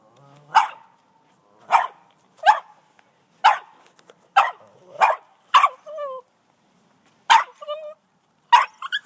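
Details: An 18-month-old Boston Terrier upset by a snow shovel, recorded on an iPhone; repeated sharp barks about every second, some ending in short whining yelps, with a faint low voice at the start.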